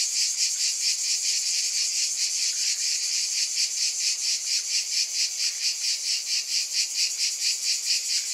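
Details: Cicadas in a dense, continuous buzzing chorus, high and hissing, pulsing steadily about twice a second with no pauses; no other sounds stand out.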